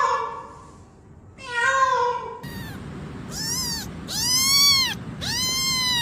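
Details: Domestic kitten crying indoors: soft muffled mews at first, then a quick series of high, arched meows, the last ones loud and insistent, over faint background hiss.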